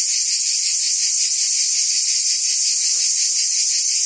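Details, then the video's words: Summer cicada chorus recorded in Provence, France: continuous high sizzling drone with slight rapid pulsing, level and unbroken, with a faint low murmur briefly underneath. "Cicadas singing in France (Provence)"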